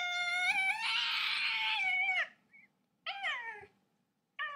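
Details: Domestic cat meowing indoors: one long, loud, drawn-out meow lasting about two seconds with a steady tone and a slight rise at the end, followed by a shorter falling meow and the start of a third. Faint soft tapping in the background.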